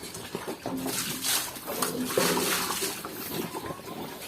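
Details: Two-week-old native piglets being fed on a farm, giving short low squeals and faint grunting tones under steady rustling, sucking and splashing noise, with a person handling them nearby.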